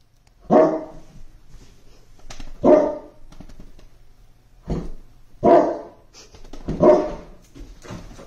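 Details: An English Mastiff playing with a toy gives deep, booming single barks, spaced a second or two apart.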